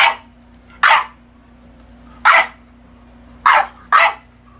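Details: French Bulldog throwing a tantrum indoors: five sharp, loud barks in uneven bursts, two close together near the end, with a faint low hum between them.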